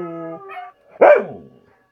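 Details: Siberian Husky singing: a steady, buzzy harmonic tone for about a third of a second, then a wavering higher note and a short gap, followed by one loud rising-then-falling vocal that trails off, with no other sounds.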